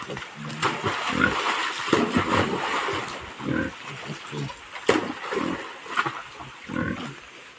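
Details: Wild boars descending a cliff alongside a waterfall, giving short, low, rough grunts in scattered bursts over a steady rushing background.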